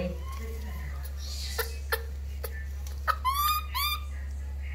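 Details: Baby monkey Lori wailing while being bathed: several clicks and taps, then two sharp rising squealed cries close together toward the end over a constant low hum.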